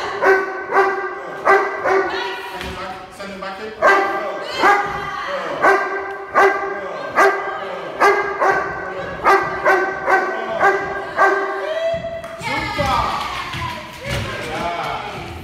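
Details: Object guard training with a 14-month-old Doberman: a long run of forceful, evenly paced barks for about twelve seconds, then a brief whining, sliding sound and noisy scuffle near the end.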